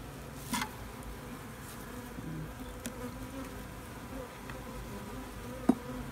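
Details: Steady low buzzing of honeybees at an open hive during a check on a new queen, with brief clicks and handling knocks over the continuous hum.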